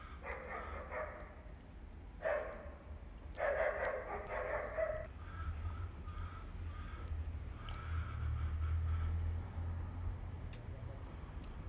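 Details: Mother cat living on the street in Istanbul trying to clean her kittens; a few loud harmonic meows in the first five seconds, then fainter thin calls amid low rumbling noise.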